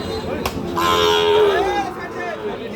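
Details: At a market where Sahiwal cattle are sold in lots, a calf lets out a short, sliding moo that rises and then falls. A sharp knock comes just before it, with crowd hubbub and voices throughout.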